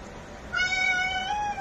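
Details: Calico cat meowing once, a drawn-out, steady call just over a second long with strong harmonics that dips slightly in pitch toward the end, with little else audible.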